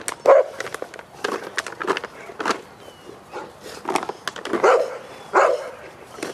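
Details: Cane Corso bred in a family setting, barking in short repeated bursts at irregular intervals, several loud barks spread across the recording with background noise between them.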